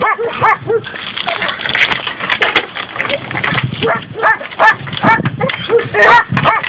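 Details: Excited, irregular barking and yipping, about two or three calls a second, from a group of six labrador and schnauzer cross dogs in a rural area of Valencia province, Spain, mixed with human voices.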